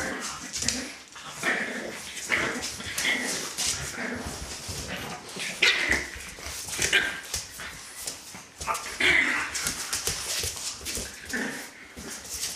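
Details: Several puppies of Celtic Mist's Litter A trade squeaky whines and short yipping barks that come in irregular clusters. Constant rustling and a quiet voice sit beneath them.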